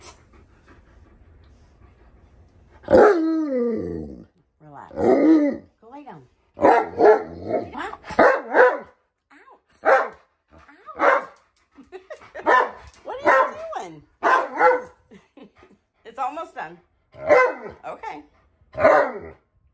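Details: Tonka, an Alaskan Malamute, throws an impatient tantrum at home while breakfast is cooked and left to cool. The dog gives a run of short, wavering, warbling yowls in quick bursts, with a person's voice telling it to relax nearby.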